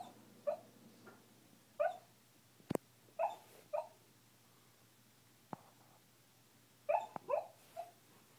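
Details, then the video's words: A dog named Kuma making noises in her sleep produces soft, clipped whimpers and yips in small clusters, with a couple of sharp clicks in between and a faint low hum underneath. "Sleep talking"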